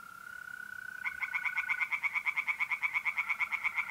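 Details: A mole cricket's steady, even trill opens this April night scene at a pond in north-east Italy; after a second tree frogs break in with rapid, regular, loud nasal pulses that keep going to the end.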